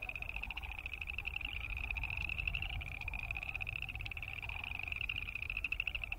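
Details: Massed boreal chorus frogs calling together: a continuous high, rapidly pulsed creak without pause, a faint lower wavering tone, and steady low rumble in the background.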